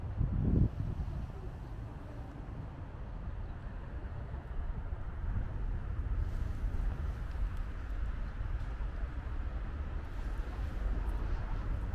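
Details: Steady low rumble of traffic and wind outdoors in an urban street, with a brief thump near the start and no animal sounds.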